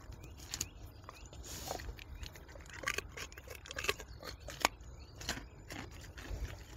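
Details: Wild boar chewing a carrot in a forest setting. Scattered crisp smacks and crunchy bites come at uneven intervals over low background noise.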